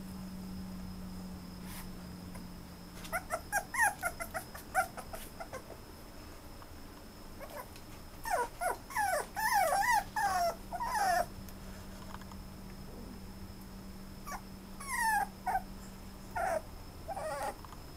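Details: Toy Poodle whimpering indoors: bursts of thin, high whines and yips that bend up and down, clustered in short runs with quiet gaps, over a faint steady electrical tone and low hum.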